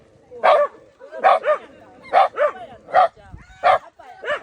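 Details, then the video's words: Shiba Inu Shimeji confronting a gorilla: six loud, evenly spaced barks, each a bright bark followed by a bending yelp tail, arriving roughly every three quarters of a second. "ゴリラ vs 柴犬 シメジ"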